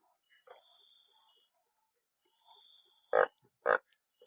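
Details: Two loud, abrupt nasal honks from a banded bullfrog, half a second apart, following quieter low murmurs and a thin high whine, during a rainy-night gathering of many frogs.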